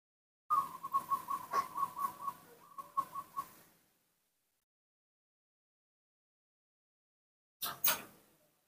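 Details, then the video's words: Baby monkey Nomi throwing a morning tantrum while impatiently waiting for milk: a rapid run of short, high, tonal squeals, about a dozen in three seconds, fading away, then silence and two sharp knocks near the end. "Tantrums and impatience when he wants to drink milk, that's what baby monkey Nomi does every morning"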